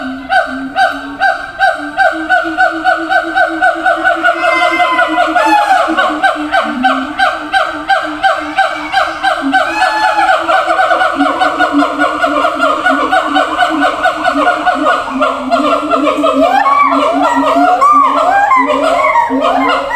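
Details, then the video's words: Siamang in a zoo calling long-distance to others in separate cages: rapid pulsed honking over a low sustained drone, accelerating and growing louder, ending in excited rising whoops and shrieks. "gibbons sound"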